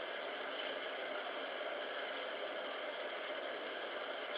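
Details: Steady broadband hiss with an engine-like hum throughout, and no animal voice.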